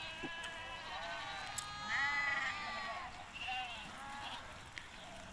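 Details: Hissar sheep in Tajikistan, recorded 20 May 2023 on a trip to the summer mountain pasture: several overlapping, wavering bleats rich in harmonics, rising and falling through five seconds, with a steady faint hiss behind.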